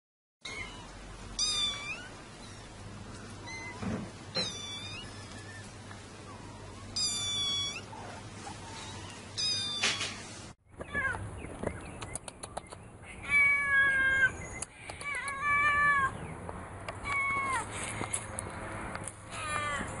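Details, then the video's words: Kitten meowing in short, wavering, high-pitched bursts at irregular intervals over a steady low hum, with an abrupt cut midway and a brighter, noisier second half. "Mèo Con Dễ Thương tiếng mèo kêu meo meo mèo con kêu dễ thương"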